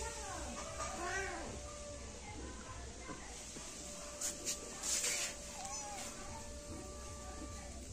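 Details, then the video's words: Two one-month-old kittens, born to two sibling mother cats and living in a yard, meow over each other in rising-falling cries bunched in the first second, then a few softer mews later, over a steady background hum and possible human voice. "Kittens meowing (too much cuteness) - Kittens talking at the same time!"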